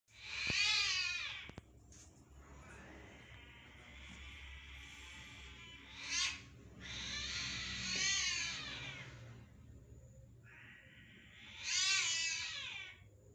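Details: Cats fighting outdoors on June 10, 2023, heard from inside a home where a house cat wakes: loud high wavering yowls and screeches in separate bursts, with drawn-out tense moaning between them and quiet background hum.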